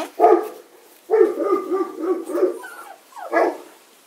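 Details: Thirty-five-day-old Kuvasz puppies at litter selection give mid-pitched yelping whimpers in uneven bursts, a sharp cry, then a longer wavering run, and a final short rising squeal.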